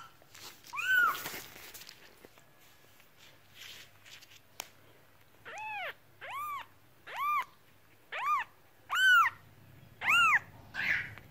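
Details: Cat meowing: one soft meow with some rustling, then a run of seven clear, arched meows about one second apart, fairly even in pitch.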